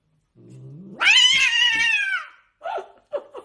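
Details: A domestic cat starts with a low growl that rises into a loud, harsh, drawn-out yowl lasting over a second, followed by several short, clipped meows.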